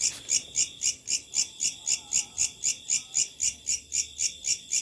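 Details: Locusts at night producing loud, evenly spaced high-pitched buzzy pulses, close to four each second, very regular, over a steady thin tone and quiet background.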